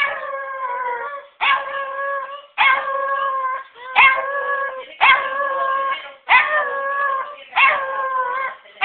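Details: A dog joins a person in howling, producing seven sustained, quavering howl phrases about every second and a quarter, each starting abruptly and holding a steady, rich tone before fading.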